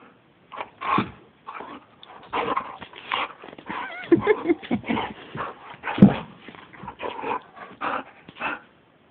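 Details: Pet dog indoors in a bedroom, excitable: a run of short, rough, irregular barks and yelps with a few whiny rising tones, bursts spaced unevenly over nine seconds, no other clear sounds.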